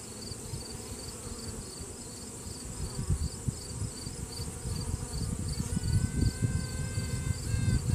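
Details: Trumpet-like sound from inside a honey bee hive where a virgin queen asserts dominance, possibly answered by another virgin queen. A humming colony builds in loudness, then a clear tone starts near the end and is broken into short toots.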